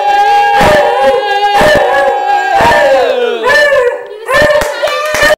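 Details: A dog named Freddy howls along as people sing Happy Birthday indoors. Long, sustained, high wavering howls ride over the singing voices, with sharp rhythmic hand claps throughout.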